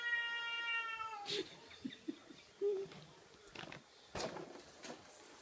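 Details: House cat attacking a balloon shaped like a cat indoors: the tail of a drawn-out meow, then scattered knocks, scrapes and rustling as it scratches at the balloon.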